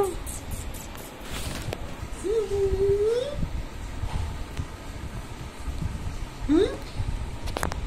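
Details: Pet cat meowing indoors: one drawn-out meow that rises, then levels and lifts again at its end, later a short upward-sliding meow, over low background rumble and faint voices.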